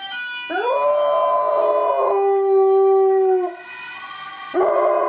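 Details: Pet dog howling in response to a Dutch ambulance siren: long sustained mournful tones that rise at onset, hold steady, then slide down, with a fresh howl starting near the end; the siren's two-tone wail runs faintly underneath.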